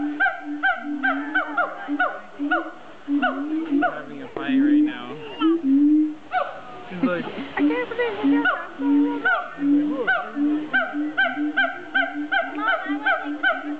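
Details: Siamangs calling at a zoo: rapid series of loud, honking barks with rising and falling inflections, repeated about three times a second, with a louder, tangled chorus of overlapping voices in the middle.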